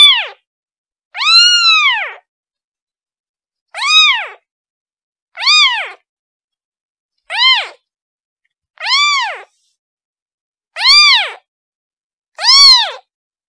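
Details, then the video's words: Kitten calling for its mother: clear, high, arching meows with rich harmonics, each rising then falling, repeated roughly every one to two seconds with silent gaps between. "Kitten Sound Calling Her Mom"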